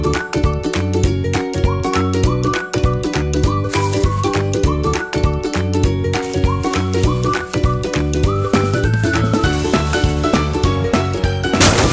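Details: Upbeat instrumental music with steady drum beats and bright tinkling tones plays throughout, with no animal sounds heard.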